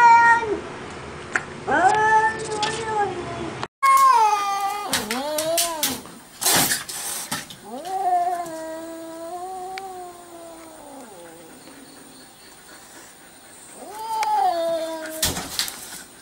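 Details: Domestic cat from a compilation of funny cat moments, giving a string of drawn-out, rising-then-falling meows, some wavering and others short, with brief pauses between them, amid indoor room sound and occasional sharp knocks.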